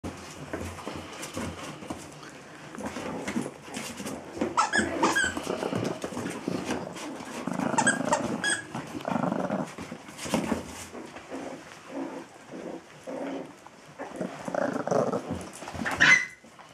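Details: Biewer terrier indoors, with dogs named Lola and Rickie; rough, low growling and snuffling noises rise and fall in short bursts, louder around eight seconds, with a sharp squeak near the end.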